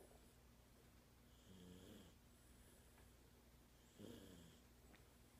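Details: Toy Poodle named Rocky snoring while sleeping soundly at home; quiet, low snores with two soft, rasping breaths about two seconds apart over a faint steady background hum.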